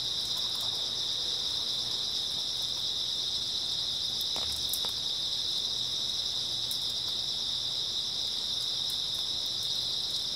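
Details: Unbroken high-pitched trilling of grass insects through an early autumn night, an even, shimmering wall of chirps with a couple of soft taps in the middle.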